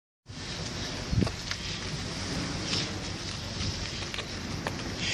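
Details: Steady roar of wind and sea water across the whole recording, with a few brief knocks and splashes, while a racehorse swims in the sea off Cyprus during training; no animal voice is heard.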